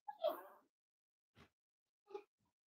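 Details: Cavalier King Charles Spaniel puppies, almost eight weeks old, raised in a family home: one soft, wavering whimper lasting under half a second, then two faint short squeaks or taps in an otherwise quiet room.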